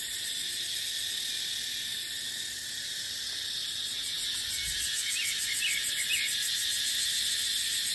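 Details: Continuous high, buzzing drone of cicadas in dry-season dipterocarp forest. The shrill wall of sound stays even throughout, and brief soft chirps of small birds appear near the end.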